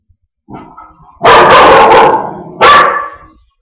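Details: Wheaten mix dog barking at its own reflection in a mirror: a soft growly lead-in, then a long, loud, harsh bark and a second forceful bark, each fading off, in an indoor room.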